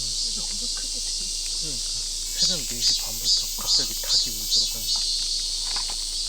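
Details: A cicada singing in the morning from the tree right in front of a forest campsite in Yecheon, North Gyeongsang, in summer heat, loud enough to hurt the ears; a shrill high buzz swelling in pulses about every half second, with people talking underneath.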